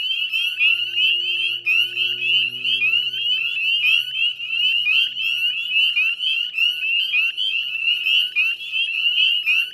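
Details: Dense dusk chorus of northern spring peepers at the Chezzetcook salt marsh wetlands, Nova Scotia, Canada, in May 2020; countless sharp upslurred peeps overlap without pause, with a faint low hum beneath.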